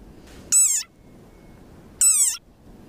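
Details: A very angry frog giving its war cry: two short, high, piercing squeaks about one and a half seconds apart, each bending up then down in pitch, in otherwise quiet surroundings.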